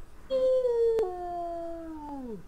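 A wolf gives a single sustained howl, starting fairly high and clear, easing gradually lower over two seconds. Near the end the pitch falls sharply and the sound fades out.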